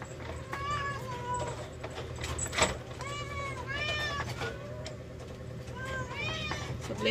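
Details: Several rescued cats meow repeatedly while waiting for their lunch, calls arching up and down and overlapping every second or so, with the clink of dishes, a person talking, and quiet music behind.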